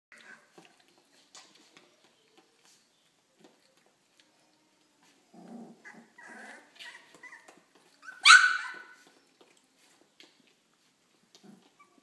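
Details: Three-week-old puppies from a litter that has begun barking, growling and squeaking: mostly quiet with scattered soft ticks and rustles, a low grumbling stretch mid-way, then one sharp, loud high-pitched yelp before fading to faint noises.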